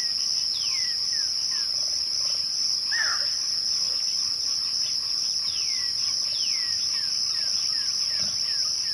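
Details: Twilight crickets keep up a constant, piercing high trill throughout, while several sharp downward-sweeping whistles and a brief upward squeak break in over the steady chorus.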